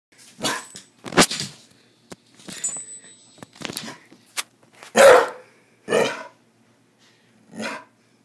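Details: A dog barks in short sharp bursts, about eight barks spread irregularly with pauses of roughly half a second to two seconds between them, some louder and harsher than others, in an otherwise quiet setting.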